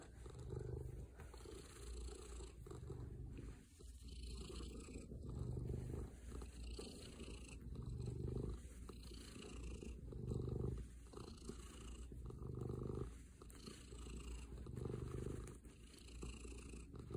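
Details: Domestic cat named Gaster, a male pet, purring in cuddle mode as his owner returns home from work; a steady low rumble swells and fades in regular breaths, roughly every two seconds, with faint scratchy rustling.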